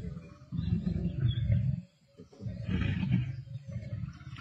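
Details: Lions of the Black Dam males and Avoca Pride at a carcass, 31 March 2024, Sabi Sands: two bouts of low, vibrating growls split by a short quiet gap, softer and more distant than before.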